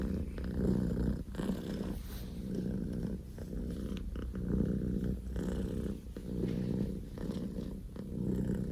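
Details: Scottish Fold kitten Poko J, a male born 15 October 2019, purring loudly at full throttle indoors: a steady low rumbling purr in long phases, each breath cycle pausing briefly about every two to three seconds.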